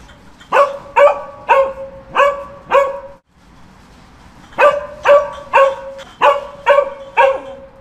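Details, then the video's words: A dog barks in a steady run of about five clipped barks, goes silent for a second and a half, then resumes with six more evenly spaced barks. "Dogs Barking for 12 hours"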